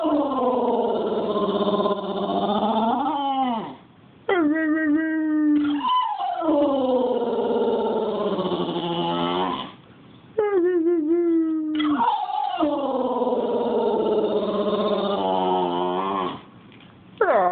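An English bulldog howls in long, wavering, drawn-out notes that slide and break between breaths.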